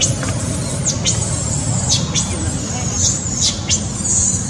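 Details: Baby monkey Sweet pea crying loudly, angry at his mother: shrill, high squeals that drop sharply in pitch, repeated every half second or so over a steady background rumble.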